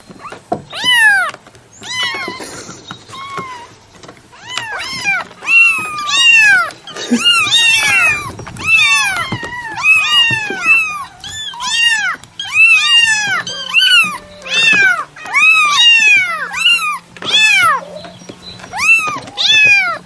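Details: Long run of insistent cat meows, high and arching, roughly one per second, with some cries overlapping and a soft low hum underneath.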